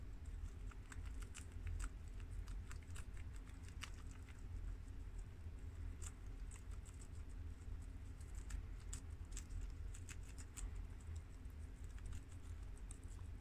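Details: Shiro, Crash, Cookie and Peanut, four pet guinea pigs of American, Mini Yak and Abyssinian breeds, munch freshly washed romaine lettuce from the garden. Dense, quick crackly bites and leaf snaps run throughout, with a low rumbling background.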